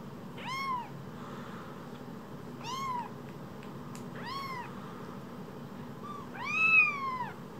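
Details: Two small rescued kittens, each about a phone's size; clear high-pitched arched meows every two seconds or so, the last one longest and loudest, against a quiet low hum.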